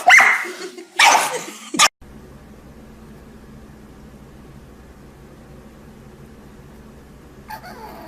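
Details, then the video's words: Dog making a strange noise: three loud, harsh barks in quick succession within the first two seconds, then only a low, steady background hum for the rest. "Funny Dogs And Puppies Making Weird Noises Compilation!"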